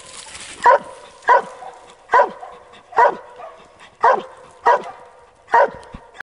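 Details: Treeing a squirrel in South Carolina, a dog gives seven loud, clipped barks evenly spaced under a second apart, each bark short and punchy, with faint rustling between them.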